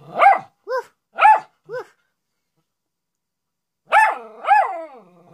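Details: A Miniature Schnauzer howls and barks for attention, "talking" to its owner: quick rising-and-falling yips alternating higher and lower, then after a pause two drawn-out, wavering howls that trail off.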